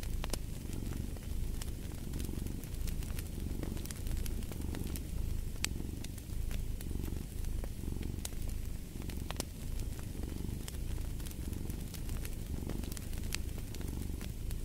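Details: Cat's purr, a deep continuous rumble that swells and fades with each breath about every second, while a fireplace crackles and snaps throughout.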